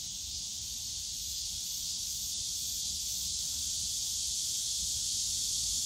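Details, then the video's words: A summer cicada chorus in the Yongsan Family Park bamboo grove, heard as a dense, continuous high-pitched buzz that swells slightly louder toward the end, over a soft low hum of distant park sound. "용산가족공원 대나무숲 매미소리"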